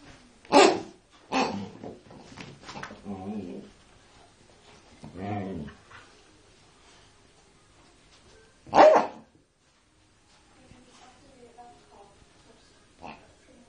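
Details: Siberian Husky bitch confronting a pig, very vocal: scattered sharp broadband yips and short barks, a couple of brief wavering moans, then long quiet gaps.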